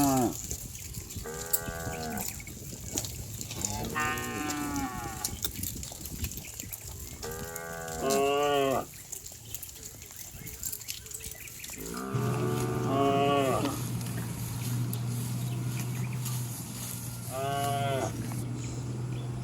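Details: Cows and bulls running down a green village hillside, mooing again and again in short bursts and longer bellows, roughly seven calls, with a low steady hum in the background during the later part.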